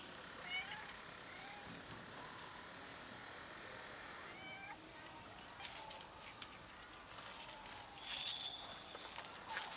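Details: Cats from a friendly cat family while another cat stays scared and does not eat; several soft meows with clear harmonics early on, later a rising call among rustling, clicks and light outdoor background noise.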